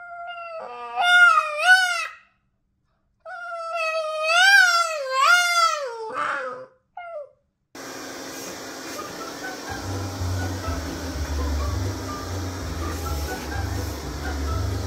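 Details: Boston Terrier in a funny home compilation, singing with long wavering harmonic howls that rise and fall in two bursts, then a short yelp; after about eight seconds the howling gives way to a dense noisy background with a low hum.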